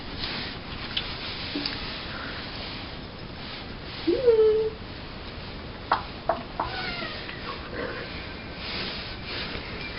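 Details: Pet cat Cleo indoors, running along the ground on her back while being tickled with her green toy dog; one short meow, briefly rising then held level, with faint rustling and people talking quietly nearby.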